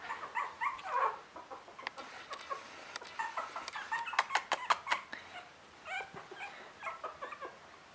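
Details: Three-week-old Russian Toy puppies squeal in short rising whimpers, repeated rapidly and overlapping, mixed with sharp clicking and rustling from handling, then tapering to quieter scattered cries.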